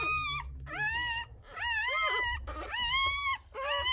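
Newborn Rottweiler puppies whimper with thin, high, wavering squeals, about one per second.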